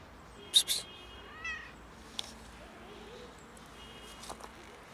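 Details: Cat struggling outdoors in freezing winter cold, seeking food and warmth; a short rising, harmonic meow sounds early, then a quieter mewing sound, among sharp clicks and faint background noise.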